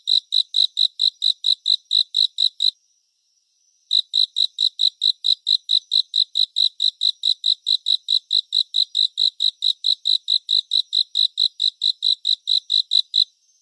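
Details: Cricket chirping for relaxation and sleep, presented in 3D surround: steady, high, pulsed chirps about twice per second, broken by a silent pause of roughly a second before the rhythm resumes, with no other sounds.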